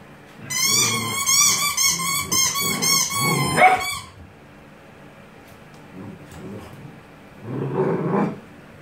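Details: Gordon Setter puppies, eight weeks old, playing with their mother indoors: a run of high, wavering whines and squeals over about four seconds with low growly scuffling, then quiet, then another short low growling burst.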